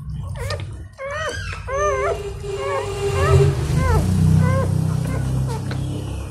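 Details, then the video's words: Newborn Golden Retriever puppies being cleaned and licked by their mother give a rapid run of high, squeaky whimpers, each rising then falling in pitch, several per second, over a steady low rumbling hum. "Mother Golden Retriever Cleaning Newborn Puppies | ASMR Dog Licking"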